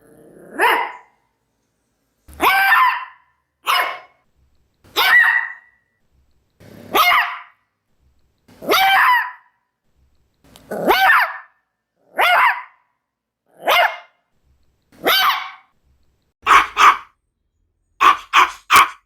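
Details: Maltese dog barking steadily: about fourteen short, bright barks in under twenty seconds, evenly spaced at first, then coming faster in quick doubles and triples near the end.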